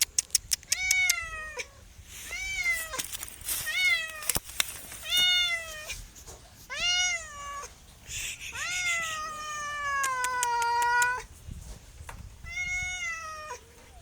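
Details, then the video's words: Domestic cat meowing over and over, about nine bright, arched meows in quick succession, one drawn out longer and lower, with a few sharp clicks between them. "MEOWING MEOWING - CAT CUTES - CAT FUNNY - SOUND CAT - MEOW CAT 01"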